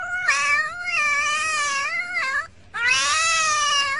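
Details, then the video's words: Pet cat giving two long, wavering yowls, the first held for over two seconds with a dip at the end, a short gap, then another sustained whining meow. "talkin cat"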